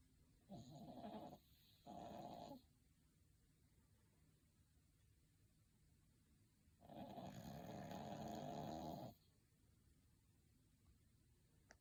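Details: A sleeping dog snoring contentedly: two short, raspy snores in quick succession, then about four seconds of quiet, followed by one longer, rough snore lasting around two seconds.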